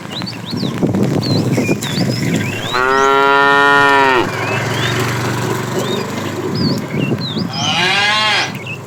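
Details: Domestic cows driven to grassy fields on a morning journey: one long, steady, deep moo lasting over a second, then a second shorter moo near the end, over constant chirping and twittering birds and soft rustling.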